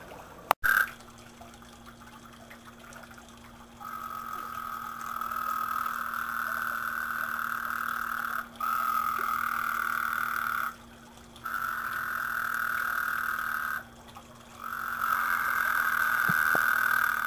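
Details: Frogs croaking in a small garden pond give long, steady, buzzing trills lasting several seconds each, with brief pauses between bouts.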